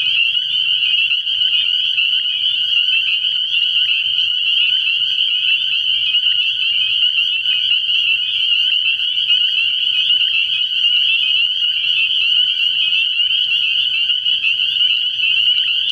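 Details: Spring peepers at a frog pond at night early in the year, a massed chorus of piercing high notes fused into an even, unending shrill drone, steady from start to finish.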